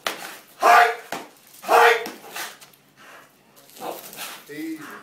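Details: American Bulldog named Betty gives two loud, harsh barks about a second apart, followed by quieter indoor shuffling and faint voices.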